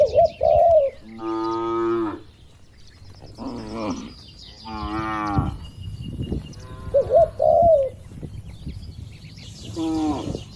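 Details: Tame cattle lowing inside a barn pen on a large farm with dozens of animals, which eat, drink and stroll. Several deep, drawn-out moos about a second long are spaced through the clip, with soft, warbling dove-like coos between them.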